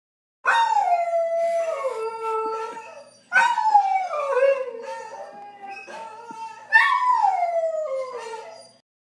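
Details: A Black and Tan Coonhound, howling at a dog on TV, gives three long, mournful howls that slide downward in pitch.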